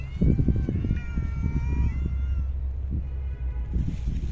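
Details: Homeless cat in a park or street, being fed, utters a long meow that starts high and slides downward over about two seconds, amid thumping low handling noises and background hum.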